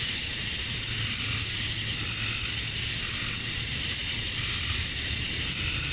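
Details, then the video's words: A steady, shrill wall of sound from male cicadas calling to attract females at dusk on a summer night in Georgia, USA. The buzzing drone never pauses, and a soft low hum lies beneath it. "Cicadas at Dusk, Summer Night"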